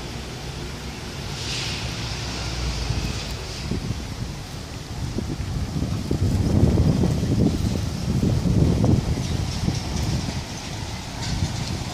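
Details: Only low wind rumble and rustling, with a brief faint hiss near the start; no animal calls can be picked out.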